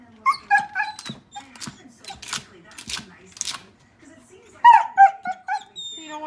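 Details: Kylo, a Border Collie trying to play with a dog statue he takes for a real dog, lets out high, thin whines, first in a short run and then again after a pause, while a person talks to him.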